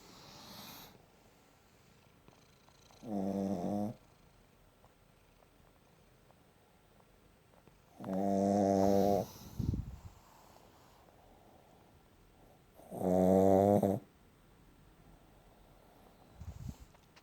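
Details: Shih Tzu snoring very loudly indoors: three long, rasping, harmonic snore bursts about five seconds apart, each lasting around a second, with quiet breathing between them.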